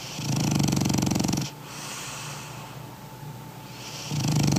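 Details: A sleeping French Bulldog (called a toy), weighing 20 kg, snoring loudly indoors: a rapid, rattling low snore for over a second, a quieter stretch of breathing, then the rattling snore returns.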